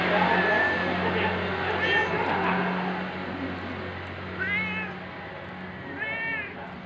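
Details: Stray ginger cat that sleeps in a parking lot, filmed at 6:32 in the morning on 13 November 2021 on an OPPO A5s phone; a few short, clear meows around two, four and six seconds over a low steady hum.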